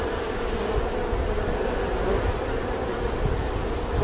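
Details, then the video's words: Bee buzz as a dense, unbroken drone, heard over a heavy low rumbling noise that fills the bottom of the sound throughout. "The sound and picture of the Bee"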